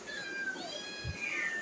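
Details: Hungry domestic cats wait for hot food to cool. A long, wavering meow with bright harmonics rises and then slides down, overlapped by a second cat's cry and a soft thump.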